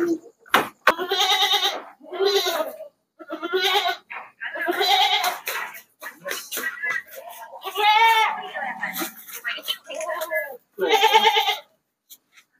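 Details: Goats among a load of sixty being shipped by truck at night to the city of Jambi, giving repeated wavering, nasal bleats about a second long with short gaps, mixed with people talking and background music.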